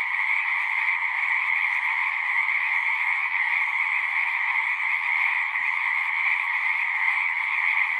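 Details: Singing frogs form a continuous, thick wall of overlapping calls, a shimmering two-tone buzz that holds steady without pauses.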